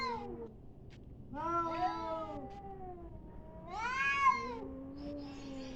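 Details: Fighting cats trade long, bending caterwauls, rising and falling in pitch, with two louder, sharper upswept cries around the middle and near the end, separated by lower moaning tones.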